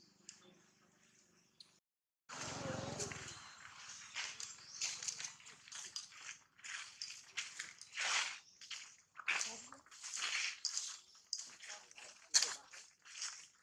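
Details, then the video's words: A monkey named Jane, scared and in a terrible mood with a camera around, lets out a rapid run of harsh, high-pitched screeching bursts after a brief low thump, broken by short pauses between outbursts. "Poor Jane look extremely scary & terrible mood with camera around , MONKEY SOUND"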